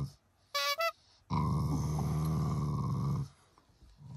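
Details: Affectionate growling from a pet Shiba Inu that is not angry, part of its unique way of showing love to its owners; one steady low rumble lasting about two seconds after a short high squeak.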